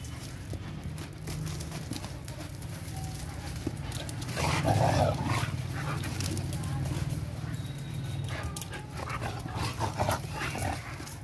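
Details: Two pet sighthounds, a Mudhol Hound and a Kombai, in friendly wrestling; a long continuous deep growl rises in intensity midway, mixed with scuffles, snorts and occasional human speech.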